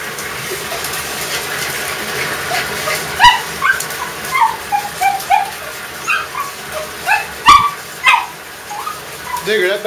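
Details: A dog named Digger, excited about a bath and attacking the water, gives high whimpering yips and short barks in quick irregular bursts while a person talks encouragingly and water splashes.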